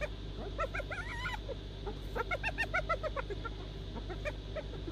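A hyena giggles in rapid bursts of short, high, nasal notes that rise and fall.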